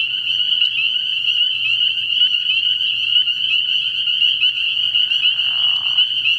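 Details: Chorus of spring peepers at a frog pond on an early-year night, countless piercing peeps overlapping into a continuous shrill ring, with a short lower burst of rough sound toward the end.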